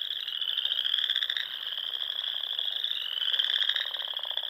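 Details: Nebraska Sandhills frogs in spring, calling at dusk by the ponds: a constant piercing trilled chorus with two louder, buzzy pulsed trills near the start and end.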